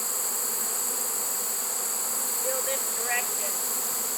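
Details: Swarm of honey bees caught in a trap late in the season, 1 September 2019: even, low droning hum throughout, a steady high insect trill behind, and a brief man's voice midway.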